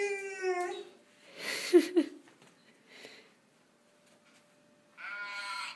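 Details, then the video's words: A golden retriever 'sings' her first vocalizations in drawn-out, tonal howls that waver and slide before breaking off. "Aisha - the golden retriever singer"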